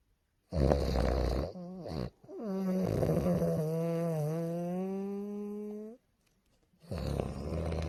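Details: Loud snoring from a tired bulldog taking a peaceful nap indoors. A rasping inhale is followed by a long buzzy, tonal snore that wavers slightly, then a pause and another rough breath.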